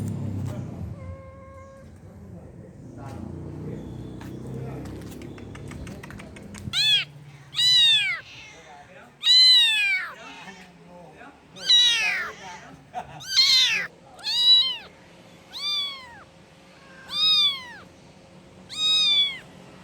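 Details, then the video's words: After several seconds of low rumbling and faint noises, a kitten crying for its mother begins a run of about nine loud, arched meows at irregular intervals of one to two seconds. "The sound effect of a kitten calling cat mother"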